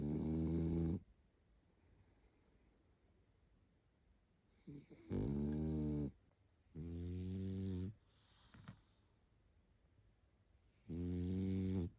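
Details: Barney, a tired pug, sleeping and snoring: loud, low rasping snores with a harmonic rattle, one at the start and then three more bursts each lasting about a second, separated by quiet breathing in a small indoor room.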